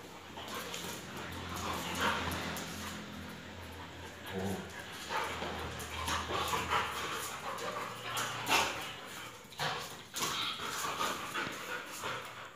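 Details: Two dogs, Messi the Labrador and Dona, play wrestling and biting at each other's necks: low rumbling growls with short whimpering bursts and scuffling noise, voices now and then.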